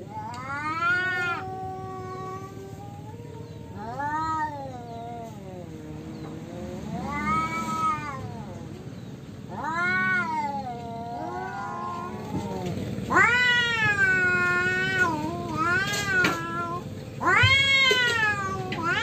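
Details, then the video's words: Free-roaming domestic cats fighting naturally, an orange cat losing the fight: long wavering yowls rise and fall in pitch, growing louder and more strained, with overlapping howls from two cats toward the end. "KUCING OREN KALAH BERANTEM !!!"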